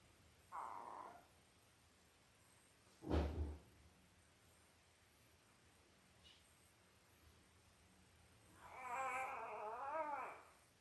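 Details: Five-day-old Labrador Retriever puppies, a litter of five males and three females born October 15, 2023 to Belle, on a live puppy cam: a short high whimper, a dull thump, then a longer wavering, quavering whine over a low steady hum.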